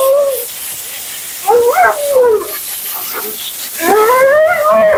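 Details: Mila, a talkative female Siberian Husky at her second-ever groom, vocalizes during her bath: drawn-out, wavering, howl-like moans with rich harmonics, in three bursts, the last rising and then sliding gently down.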